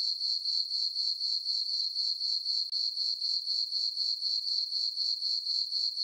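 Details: Nighttime cricket chorus from a meadow on a farm under dark skies and a full moon in summer: a bright, high-pitched trill rising and falling in regular pulses, about four each second.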